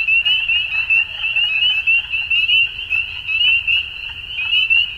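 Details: Frogs calling at dusk in spring in Ontario, Canada: a dense chorus of high, shrill trills and peeps merging into a steady ringing band, with pulsing swells in loudness and no other clear sounds.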